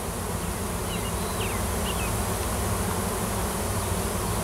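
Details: Swarming wild honey bees huddled in a cluster on a tree at a Washington farm, following a new queen in search of a new nest; continuous low droning hum with a few brief rising whines from bees passing close.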